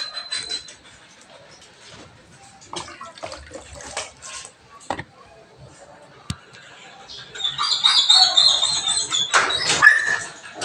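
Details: Belgian Malinois in the morning during a cleaning session: quiet clatter and scattered knocks at first, then high, thin whines with a nasal, wavering tone in the second half, some sliding upward.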